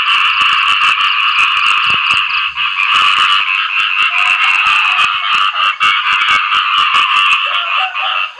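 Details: Frogs known locally as khiat i-mo, or striped-leg frogs, calling to attract mates after rain: a dense, unbroken chorus of rapid, rattling croaks layered in a steady buzzing drone.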